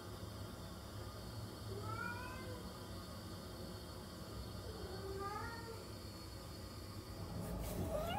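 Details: Cat giving two soft, drawn-out meows that rise and then fall, about three seconds apart, over a constant electrical hum, ending with a brief rustling noise.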